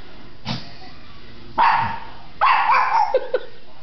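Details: Female pug barking while digging for a ball that fell behind her dog bed, recorded in 2007; a few sharp, hoarse barks and short yips in quick succession, with a person's voice encouraging her nearby.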